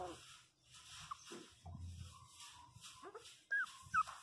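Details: Pinscher puppy, 27 days old, crying after falling and hitting its head: scattered thin, high whimpers, then two sharp squeaky cries that bend up and down near the end, over faint background hiss.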